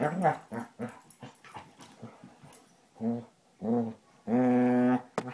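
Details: Rough-housing Basset Hounds, the older Tracker and new puppy Ranger, trade choppy deep barks and growls, then a held, resonant baying note close to a second long near the end.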